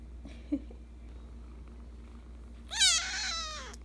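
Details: Young Persian Chinchilla cat indoors, quiet at first with a faint tap, then one loud, long meow that starts high and slowly falls in pitch before trailing off.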